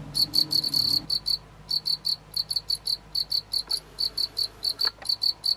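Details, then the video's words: A house cricket kept at home calls in short chirps, each a few rapid pulses, repeated about three or four times per second in a steady train with brief pauses, loud and clear over faint room noise. "Mon Grillon Domestique"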